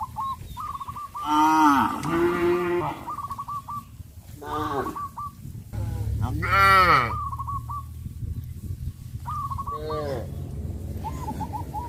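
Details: Cattle being led out to green grassy fields give four drawn-out moos, rising then falling, separated by pauses, while brief rapid chattering notes from other animals repeat in the background.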